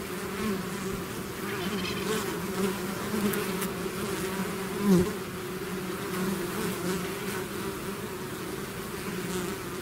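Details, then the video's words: Bees swarming from their hive produce a steady dense buzz, one bee passing close near the middle with a louder rising-falling whine. "bees therapy swarm natural buzzing sound"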